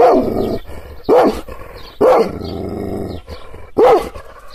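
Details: An angry Kangal shepherd dog, provoked by hand gestures but not touched, gives deep, forceful barks spaced about a second apart.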